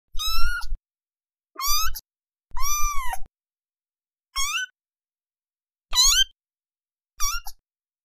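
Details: Cat meowing six times in eight seconds, each meow a clear tonal cry that arches or rises in pitch, separated by silent pauses of about a second; a low thumping accompanies each meow.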